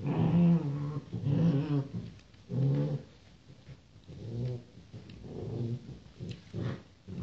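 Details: Rottweiler puppies born 28 January 2016, giving low, throaty grunting whines in repeated bursts about once a second, with a muffled, roomy background.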